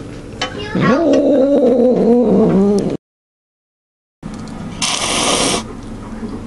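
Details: House cat growling over its food, unwilling to share: one sustained, wavering, moaning growl lasting about two seconds, followed by a silent gap and then a burst of rustling noise.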